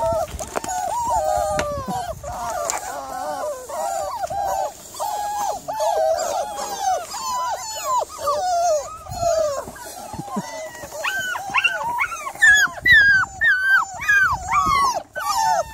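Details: Evening recording of a Miniature Labradoodle on 3 July, with steady plaintive whines repeated nearly twice a second. Toward the end they climb higher and turn sharper and yelping.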